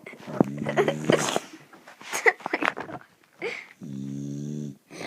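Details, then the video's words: Sleeping dog snoring loudly indoors: two bouts of buzzy, droning snores, the first fluttering in rapid pulses and the second a steady, even rumble nearly a second long, with a person speaking briefly between them. "My dog snores so loud!!"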